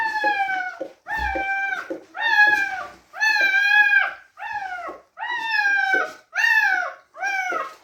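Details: Whelping litter of newborn Teddy Retriever puppies crying indoors: drawn-out harmonic whimpers, each slightly falling, repeated roughly once a second with brief pauses and a faint knock.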